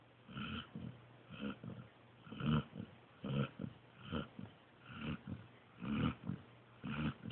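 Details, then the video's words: Sleeping pointer pup named Joby snores in a run of soft, rough breaths, each a short low rumble with a slight tonal buzz, repeating roughly every second in an uneven rhythm. "Snoring Pointer Pup"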